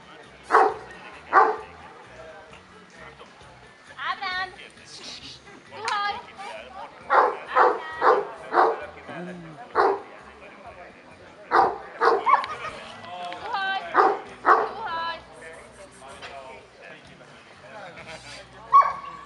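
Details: Kuvasz dogs at the fifth Kuvasz club show in Kishegyes, 2017: short, sharp barks burst out in irregular runs across the recording, with people talking throughout and faint music underneath.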